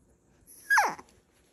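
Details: Puppy indoors whining about going to bed: a single short, loud, high whine that slides sharply downward, lasting about half a second, in an otherwise quiet room.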